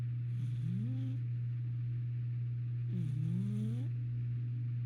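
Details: Sampson, a cat asleep in his cat carrier, snoring: two drawn-out, rising, tonal breaths roughly two and a half seconds apart, each ending in a soft rasp, over a steady low droning hum.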